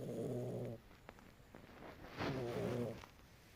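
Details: Pet cat asleep and snoring: a throaty, rattling breath, a pause of about a second and a half, then another rough snore, with soft background hiss.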